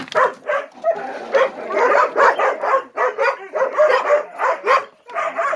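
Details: Gollie puppies, ten months old, waiting for their morning breakfast, yelp and whine in a dense, overlapping run of short pitched cries, nearly continuous with rhythmic pulses about every half second.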